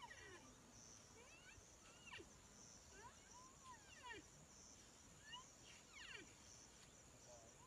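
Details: A baby rhinoceros gives high, thin, whining squeaks that sweep up and down in short bursts every couple of seconds, trying to wake its dead mother, over a steady insect-like hiss.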